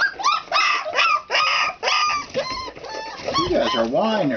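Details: Four-week-old country puppies practicing their voices in play, giving a run of high, squeaky whines and yelps with wavering, rising and falling pitch, some short and clipped, others drawn out, closing with lower wobbling whimpers.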